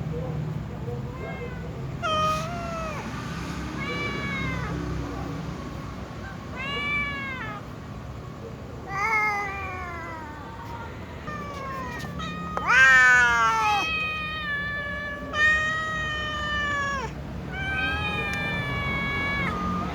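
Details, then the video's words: Several domestic cats, a little cat and a tom cat among them, meowing before eating; repeated harmonic meows, some rising then falling, others drawn out and wavering, overlapping from different cats, with a loud strained cry near the middle. "Little cat and tom cat meow and other cats too before eating"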